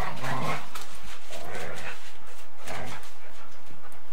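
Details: During a bitey-face game, a Golden Retriever and a Samoyed give low rumbling growls broken by short pauses. Harsh breathy snorts and steady background tape hiss come from an 8mm home recording.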